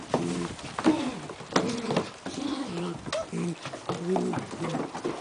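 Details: Long Coat German Shepherd puppies at 33 days old at Breezy Meadows, giving short wavering whimpers and squeaky whines in quick irregular bursts, with a hum of background noise.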